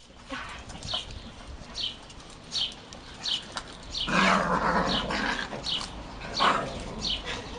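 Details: Biyok dogs at a joyful family reunion as their former puppy Zhara, now living a few houses away, visits after a trip to the groomer; short high yelps repeat about every half second, with a longer, louder whining burst midway.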